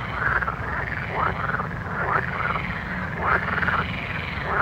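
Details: Several frogs croak at night, each call a short curved rasp, coming in uneven bursts about once a second against a continuous low background drone.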